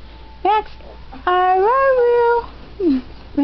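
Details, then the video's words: Household dog trying to say "I love you" gives a short swooping yelp, then a sustained, smoothly rising and falling moan, followed by a descending whine. "talking dog i love you"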